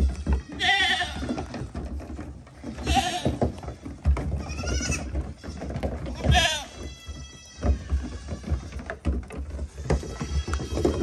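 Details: Curious goats jumping onto a small dinghy. Short, harmonic bleats recur every two to three seconds over steady low rumbling and knocking noise.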